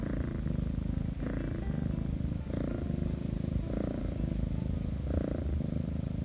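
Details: A rescued stray Korean shorthair kitten purrs steadily while being petted, a low rumbling hum that swells with each breath. It kept purring for about 40 minutes.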